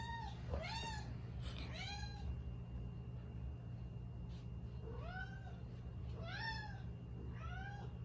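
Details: Five-year-old female Siberian cat kept indoors in Canada, very chatty: short arched meows in clusters, two quick ones at the start, then a pause, then three more near the end, above a constant low household hum.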